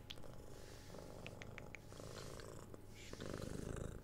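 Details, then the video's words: Purring of a six-month-old kitten during cuddles and kisses indoors: a low, even rumble underneath, overlaid by soft kissing smacks and crisp scratching sounds. "Cat Purring"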